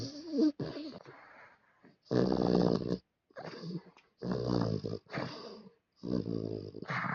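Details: Fu-chan, a sleeping pet dog, snores indoors in loud rasping bursts about a second long, each with a buzzy harmonic rumble. Short silent pauses separate the breaths, which come roughly every second or so.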